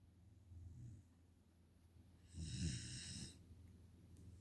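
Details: Nala, a five-month-old Pungsan puppy living in the United States, snores while asleep: a soft low rumble early on, then a louder rasping snore with a hissy airy edge around the middle, followed by quiet breathing.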